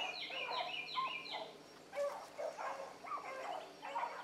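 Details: Several young hounds on a rabbit trail one morning, pups named Ringo, Mingo and Choco among them. Quick bursts of bright, chopping yelps sit over lower bawling bays, the voices crowding each other in uneven pulses.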